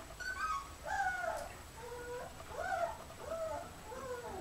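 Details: Puppies meeting their great-grandmother Oralee for the first time, 2015, give thin whimpering whines indoors, arched and rising-then-falling, several overlapping in a drawn-out series, with faint room noise.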